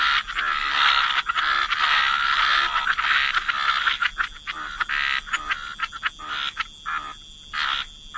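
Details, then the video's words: Wetland frogs croaking together by the water, a thick continuous chorus of raspy calls that thins midway into separate choppy bursts with brief gaps. "Frog Lullaby: Relax to the Sound of Croaking Frogs"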